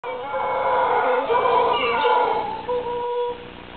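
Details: Howler monkeys hidden in the canopy along the Chagres River, Panama, give a deep, sustained, droning roar that swells and fades in long overlapping waves.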